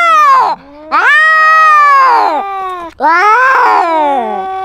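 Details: Territorial standoff of a cat carrying a GoPro, with three drawn-out, nasal yowls that swell and sag in pitch and end in lower moaning tails, separated by brief pauses.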